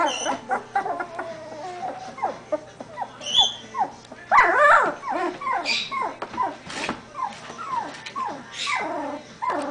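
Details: A litter of Doberman Pinscher puppies at 17 days old, now moving about more every day, squeak and whimper in rapid busy bursts, many short rising-falling cries tumbling over one another with occasional sharper yelps.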